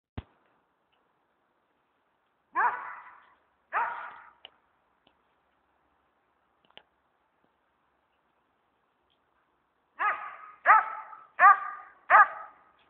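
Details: Leroy the dog chasing squirrels from tree to tree: two barks, a long quiet gap, then a run of four quick, evenly spaced barks about half a second apart.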